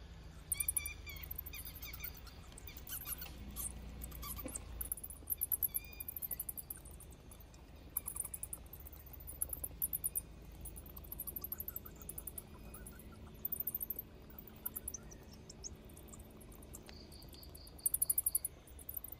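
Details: Many bats leaving a cave to forage give high, thin squeaks and clicks over a low, steady rumble.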